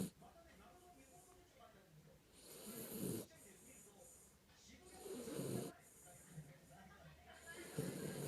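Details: Kinako, a Jack Russell Terrier, snoring while asleep: rasping, breathy snores swell and fade about every two and a half seconds, each with a low rumble under a hissing upper edge, with quiet breathing between them.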